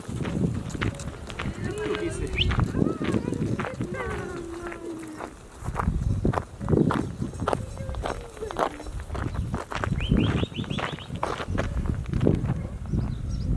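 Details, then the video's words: Sheep flock arriving, recorded live on a Canon camera set up to wait for it; scattered wavering bleats rise over a steady patter of many hooves and footsteps, with wind and rustling throughout. "FLOCK - GREGGE - Live SOUND EFFECTS"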